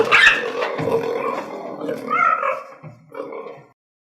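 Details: Cheetah calling: a harsh, rough vocalisation with a loud start, then wavering mid-pitched tones that rise and fall, ending in a shorter burst before fading out.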